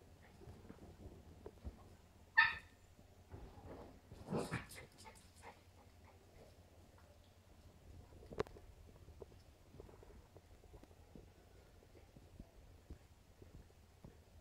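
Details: West Highland White Terrier puppy Stella, two and a half months old, playing with three-year-old Nappy: one brief, high, sharp yelp, then a short scuffle of muffled noises in a quiet room, the rest mostly faint rustling.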